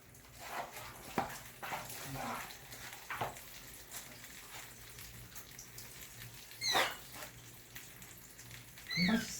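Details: A kitten rescued from the street during its first bath: two high, rising, thin mews near the end, the second ending in a strained note, over steady background rustling and splashing.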